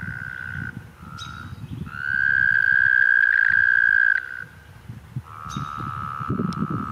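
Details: Toad chorus from 2016 with overlapping sustained trills: a short trill, then a loud, even, high-pitched trill lasting about two seconds, followed by another long trill. Soft low rumbling underneath.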